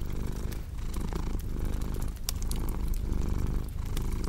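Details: Cat purring in a deep, even rumble that swells and fades with its breathing, while a cozy fireplace crackles and pops in the background.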